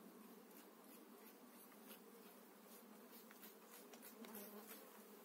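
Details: Honey bees during a spring transfer of eight frames into a new hive, steady low hum of the colony with scattered sharp clicks and taps from frames being handled.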